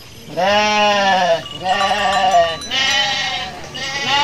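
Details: Garut sheep, a mother giving birth while out grazing: three loud, wavering bleats, each about a second long, coming in quick succession with brief gaps, with a faint clatter in the background.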